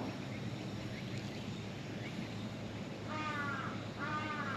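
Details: A stray cat hiding under a truck speaks up as someone approaches. Two drawn-out, harmonic meows come in the second half, over steady low outdoor rumble.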